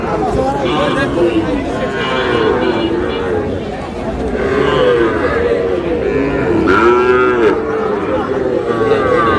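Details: Cattle, small young bulls and heifer calves being bought by a farmer in Shariatpur, dated 4/6/26; a few drawn-out, arching lowing moos rise out of steady crowd chatter and talking voices.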